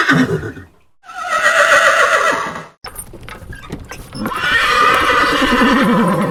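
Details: Whinnying horse: a long shrill neigh, then clattering clicks, then a final trembling whinny that quavers rapidly up and down in pitch.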